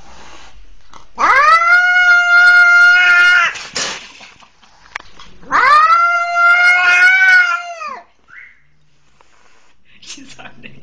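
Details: Kitten, described as attacked by a leashed pitbull and crying for help, gives two long, loud, drawn-out wails, each about two seconds of steady, slightly arching pitch, separated by a brief pause, then a short faint chirp in a quiet room.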